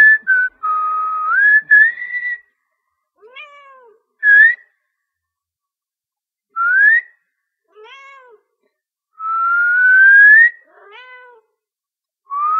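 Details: Domestic cat, annoyed while trying to sleep, answers a person's whistling with short, rising-then-falling meows between long, steady, rising whistled notes. The whistle is the louder sound, and the room is otherwise quiet.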